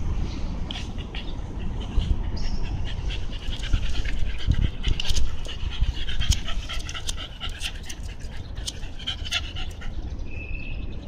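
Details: Shiba Inu outdoors at Tsukiji in Amagasaki, Japan, with the Rokko mountains in the distance, recorded 25 September 2013: quick breathy panting bursts repeat over a steady low rumble of wind or distant traffic.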